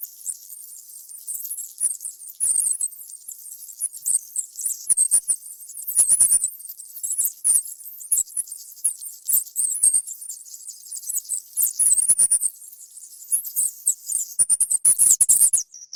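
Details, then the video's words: Busy chorus of tiny, piercing mouse squeaks, nearly continuous high twittering broken by sharp clicks and light pattering taps, growing denser and louder toward the end. "SOM DE CAMUNDONGO Incrível"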